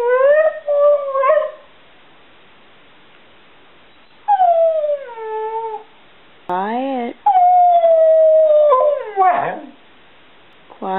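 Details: A male Border Collie mix, 7 years old, answers questions about loving family members with a series of expressive, yodelling howls: short wavering bursts, falling glides and a long level moan, separated by pauses where a woman coaxes him.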